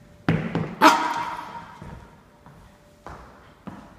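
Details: Norfolk Terrier puppy named Ernie standing his ground indoors: a few short, sharp barks, the loudest and most ringing near the first second, followed by softer, lower gruff bursts spaced over the next few seconds in a quiet room.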